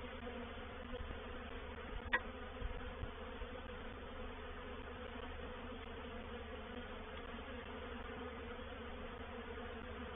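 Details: Many honey bees of a reproductive swarm settle into a bait hive at Painted Peacock Manor, 04/07/21; a constant low buzzing hum, with a sharp click and a few soft knocks early on.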